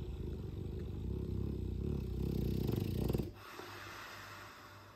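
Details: Sleeping Dogue de Bordeaux snoring loudly: a deep, rough, rumbling snore with rapid fluttering texture runs for about three seconds, then cuts off abruptly, leaving only a faint steady low hum.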